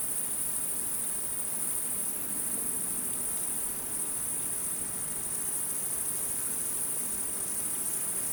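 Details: Steady high shrill trilling of many wild insects at night, even and continuous, the level dipping briefly midway, over a quiet low hum.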